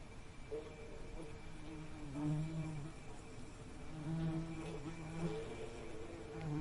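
A bee's low, droning wing buzz that swells and fades as it passes close.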